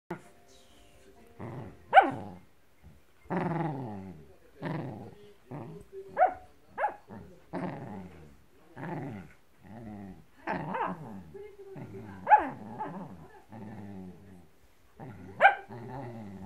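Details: Blue merle Shetland Sheepdog growling while attacking a blanket, a series of rough harmonic growls in bursts with sharp higher yelps and snaps every second or two, quiet pauses between.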